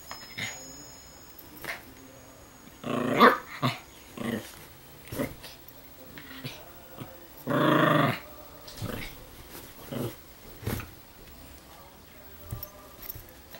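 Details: Chilean Fox Terrier chasing a laser pointer indoors, giving short broadband growls and huffs in bursts near three and eight seconds, with scattered softer grunts and thumps between them in a quiet small room.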